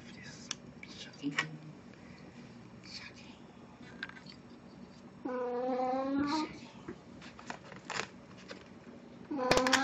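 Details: Plan, a pet cat in a Snow White costume for an encore after her birthday party, recorded indoors on 1 April 2017: one drawn-out, slightly rising meow midway, another starting at the end, amid speech, rustling and clicks.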